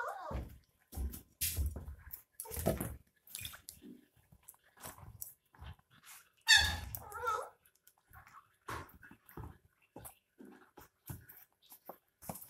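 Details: Puppies 22 days old drinking milk from a bottle; short soft whimpers and squeaks, one brighter wavering whine near the middle, amid sucking and handling noises.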